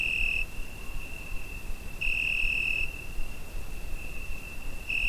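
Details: Cricket on a summer night, recorded with a Zoom H5: a steady, thin, high-pitched trill runs throughout, swelling into louder, brighter bursts roughly every two and a half seconds over soft low background rumble.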